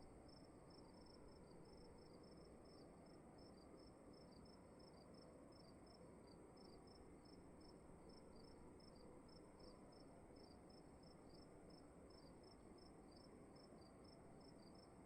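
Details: Indoor cricket chorus in a quiet room, two high-pitched chirpers trading short pulses in a steady, fast rhythm throughout, set against constant broadband hiss and a low room rumble.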